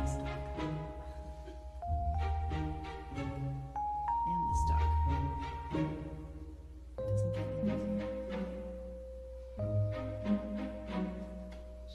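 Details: Bright mallet-percussion music with glockenspiel and xylophone tones carries the whole stretch, with speech faintly beneath it; no animal sound is heard.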